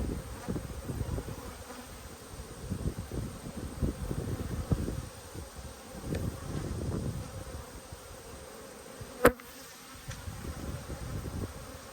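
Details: Low, droning hum of a honey bee colony during a hive inspection, newly mated queen laying heavily; buzzing swells and fades in waves, broken by frame handling noise and a single sharp tap near the end.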